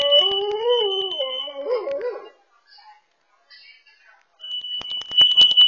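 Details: A dog at home howling in response to a carbon monoxide sensor sounding: a wavering, rising-and-falling howl with strong overtones over a piercing alarm tone, then a brief quiet pause before the rapid electronic alarm beeping returns.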